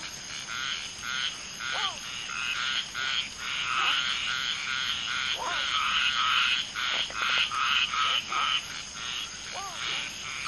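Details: Mating common tree frogs, one female laying eggs and two males fertilizing, amid a dense frog chorus: rapid rattling pulsed croaks, about two and a half per second, with occasional sliding, bending chirps over a constant high-pitched background hiss.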